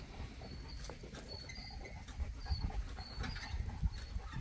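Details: Boerboel, South African Mastiff, one of a couple living in Egypt, breathing in rapid low rough pants with faint higher tonal bands above and some background noise.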